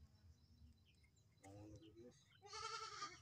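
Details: Domestic goat being handled for hoof trimming on a farm; low human voices and handling noise come first, then a short, wavering, nasal bleat rises clearly at the end.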